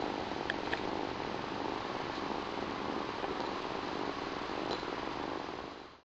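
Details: Close, continuous purring from new domestic kittens, sibling pair Chilli and Pepper; steady rough rumble running unbroken for about six seconds, with a few faint clicks on top, indoors.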